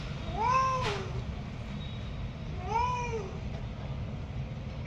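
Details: A cat that came to the home early in the morning gives two clear, drawn-out meows, each rising then falling, about two seconds apart, over a steady low background rumble.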